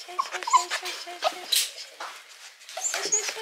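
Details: Eight-month-old female Mame Shiba whimpering on being collected after spay surgery; soft, brief high whines and yips repeated in quick succession, with quiet rustling and a person speaking nearby.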